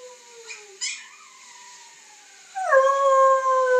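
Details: A female Siberian Husky puppy, being taught to howl by a boy with a collie present, gives thin, drawn-out howls that slide gently downward, then a louder sustained howl.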